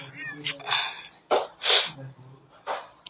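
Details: Cat meowing outdoors on a sunny morning, several short bright meows with a harmonic rise and fall, about one per second, with a woman talking softly nearby.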